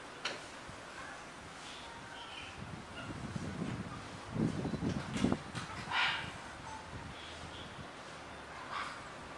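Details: Gentaro, a nine-year-old male gorilla at Kyoto City Zoo, Japan, beats his chest on a quiet day in April 2021: a quick flurry of deep, hollow thumps builds midway, followed by a few fainter knocks and soft background rustle.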